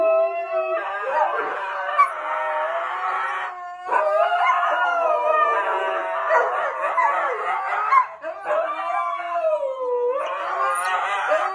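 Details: Pet dog howling in long, wavering, overlapping wails with many tonal layers, broken by brief pauses between drawn-out phrases.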